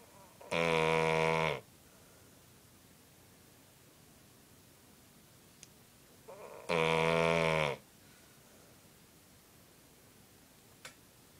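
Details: Asleep with a cone on, Cocker Spaniel Toby snores in two harsh, buzzing bursts of about a second each, roughly six seconds apart, with near silence and faint clicks between them.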